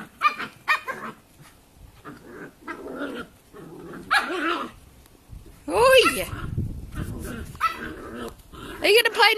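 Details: Cavalier King Charles Spaniel puppies Holly, tricolour, and Arlo, ruby, roughhousing: growls and squealing yaps in bursts, a rising whine-like cry midway, with a person's voice speaking over them.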